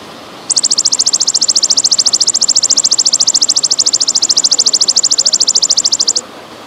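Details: Golden grasshopper (belalang emas) calling with pauses: after a short quiet start, a loud, high, rapidly pulsed buzzing trill of about a dozen pulses a second runs steadily for nearly six seconds, then stops abruptly.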